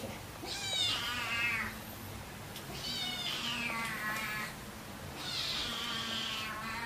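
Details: Three long, drawn-out meows, each rising then sliding down, from Siamese cats in August 2009. Kitten Keiko, about three months old, is settling in with half-brother Zen, about a year old. Faint room hum underneath; recorded with a Sanyo Xacti camcorder.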